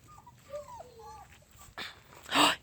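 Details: Whimpering from 4.5-week-old puppies on a field trip to meet new noises, with their mother Rue nearby: soft, high, wavering squeaks rising and falling, followed by a short loud burst of noise.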